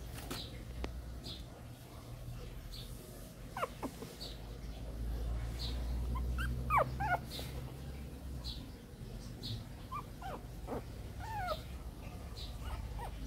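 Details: Newly arrived Shih Tzu puppies from a 2014 litter give thin, high squeaks and whimpers that rise and fall, scattered irregularly through the clip over a steady low hum, with a soft human voice now and then.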